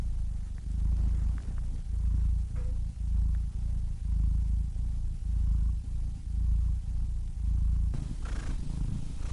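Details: Cat purr, continuous low vibrating rumble broken into repeated breath cycles a little over one per second, fairly even in loudness, with a short soft rustle near the end.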